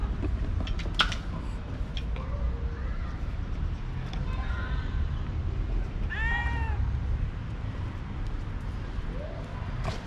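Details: A young cat, full of energy, suddenly runs and plays with a moth; a clear harmonic meow near six seconds and a few fainter short mews, over steady low rumbling background noise.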